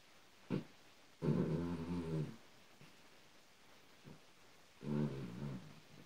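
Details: Benji, a three-year-old male Australian Silky Terrier mix rescued from a shelter, napping indoors; low rumbling snores, one long breath of about a second and another near the end, with faint clicks between.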